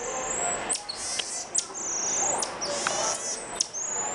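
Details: Common marmoset, known locally as "Mico", making weird noises: long, thin, very high whistles, each ending in a sharp downward flick, repeated back to back, with faint hiss behind.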